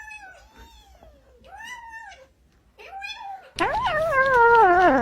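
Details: Cat or kitten meowing while eating: a few soft arching meows, then a louder, longer wavering meow with rising and falling pitch, indoors in a small room.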